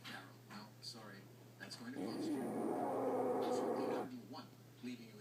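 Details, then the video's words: Maddy, a female pet French Bulldog, snores loudly in her sleep indoors: one long, harsh, rasping breath of about two seconds rises out of quiet background murmur, with a faint whistling edge, then fades back to soft room noise. "Frenchie dog snoring."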